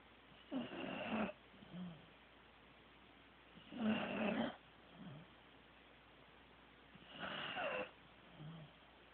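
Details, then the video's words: A sleeping Corgi named Teddy snores in deep, rasping breaths, three loud snores spaced about three seconds apart, each followed by a softer wheezing exhale, in a quiet room. "Teddy SNORING"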